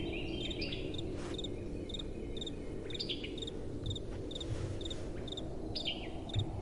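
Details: Crickets chirping at night under a soft breeze: regular high chirps about twice a second alongside a few louder, downward-sweeping chirps. A heavier low wind rumble runs throughout, with a couple of soft knocks near the end.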